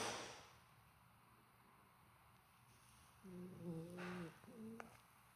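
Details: Sleeping Golden Retriever puppy snoring, said to be on the quieter side today: a nasal, whistling snore with a low harmonic tone held about a second, a brief breathy burst, then a shorter whistled snore in a quiet indoor setting.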